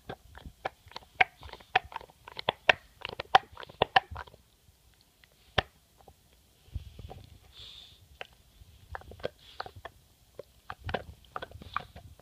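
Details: English Bulldog named MOTO, a pet, chewing his bone indoors: bursts of sharp crunching and gnawing clicks, dense for four seconds, then a pause with soft snuffling before more scattered crunches resume.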